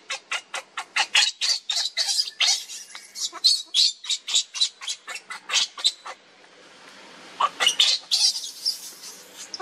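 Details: Baby monkey Lucie crying as it begs its mother for milk and is rejected: a long run of shrill, harsh squeals repeated about four times a second, a brief pause, then another burst of loud squealing.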